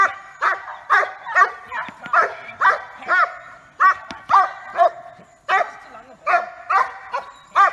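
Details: Yukon, a Blackmoore Giant Schnauzer filmed in May 2018, barks repeatedly at about two per second, clipped ringing barks with strong overtones, a brief pause near the middle before the series resumes.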